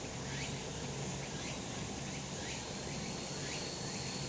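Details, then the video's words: Mountain cicadas in summer sunshine: a steady shrill hiss with sharp high bursts about once a second and faint upward-sweeping strokes, over a low continuous hum. "セミの鳴き声 夏の山 日なた"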